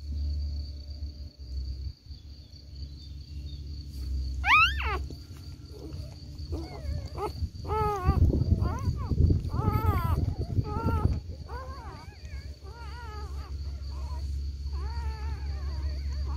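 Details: Lagotto Romagnolo puppies, a litter of seven, whining while being fed: wavy, rising-and-falling squeals repeated in quick clusters, several overlapping, with a sharp high yelp early on and a constant low background hum.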